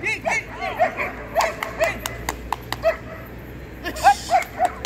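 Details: Young female German Shepherds, six to nine months old, competing at a dog show on 27 December 2020; short, sharp barks come in quick bursts, about eight in five seconds, over crowd noise and sharp clicks.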